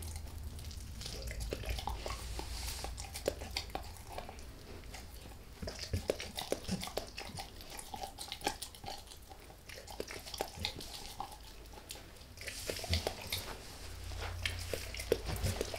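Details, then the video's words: Max the dog eating a beef rib indoors without any talking; continuous soft gnawing and tongue-smacking clicks over a low rumbling background hum, with a busier burst of crunching near the end. "Max Eats | Beef Rib | ASMR DOG EATING"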